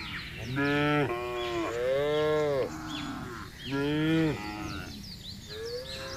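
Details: Herd of cattle moving calmly across a vast pasture while being driven: repeated rich, wavering moos, three strong ones about a second each, plus quieter lowing and faint birdsong behind.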